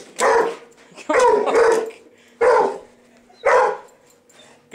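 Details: Pet dog barking at a vacuum cleaner being run indoors over carpet; four loud, harsh barks spaced about a second apart, over a steady motor hum.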